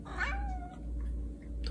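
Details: Indoor Siamese cat, a male, gives a single short meow that starts high, bends downward and trails off into a thin, steady tone, with a low room hum underneath and quiet French speech around it.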